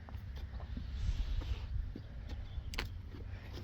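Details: Low wind-like rumble and handling noise dominate, with a few scattered clicks and taps and no clear animal call.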